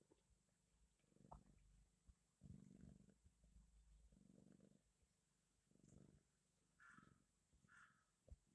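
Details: Cat purring: low, rumbling bursts in regular pulses, each lasting about half a second, repeating roughly every second and a half, with a few faint higher squeaks near the end; very quiet and close.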